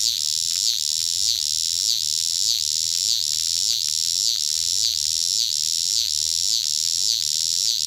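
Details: Close-up cicada giving a loud, shrill buzz broken by regular dips, roughly two pulsing beats every second, in a steady, throbbing rhythm.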